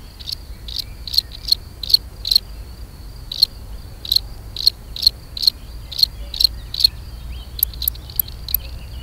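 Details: Gryllus campestris, the European field cricket, singing its mating song: bright, shrill chirps in a rapid regular train, broken by one short gap, ending with fainter high clicks.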